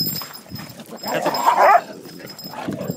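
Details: Cocker Spaniel indoors, jealous and protesting while its owner pets other dogs: a strained, harmonic whining cry swells for about a second mid-clip, with softer grumbling before and after.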